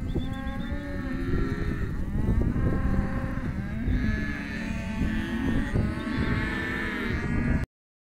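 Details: Several Hereford calves, male and female, penned in an auction lot, lowing almost without pause. Their wavering moos overlap over a background of scuffling and pen noise before the sound cuts out.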